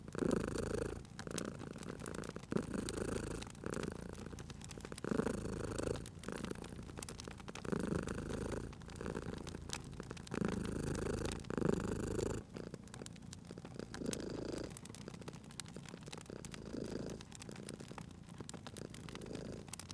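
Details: Sleeping cat by a cosy fireplace purring in steady rhythmic waves, loud for the first twelve seconds then quieter and thinner, while burning logs crackle and pop throughout.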